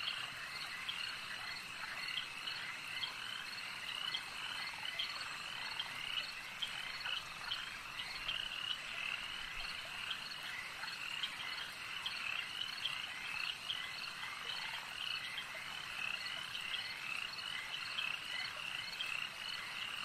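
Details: Lake ambience dominated by frogs: countless high, buzzy croaks overlap into a continuous dense chorus, punctuated by rapid bursts of brighter chirping notes that recur throughout without pause.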